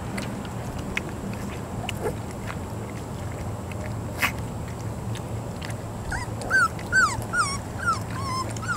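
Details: Three-week-old puppies, mostly quiet background rumble with clicks, then from about six seconds a run of five or six high whining yips that slide downward, fairly evenly spaced.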